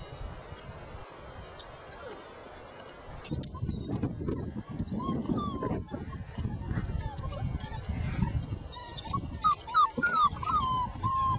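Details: Five-week-old Border Collie puppies playing outside whine after noticing a person nearby: thin, high, wavering whimpers, several overlapping in the final seconds, over rustling, scuffling movement and low handling noise.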